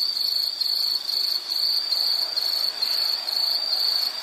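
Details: Shrill high insect trill broken into rapid regular pulses, about two bursts per second, steady loudness, with nothing else clearly heard.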